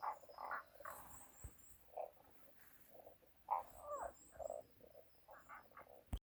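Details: Unidentified animal calling on a forest road, recording marked 240413: short, hoarse croaking notes given in loose bursts of two to four, with quiet gaps between. Faint, thin, high chirps repeat in the background.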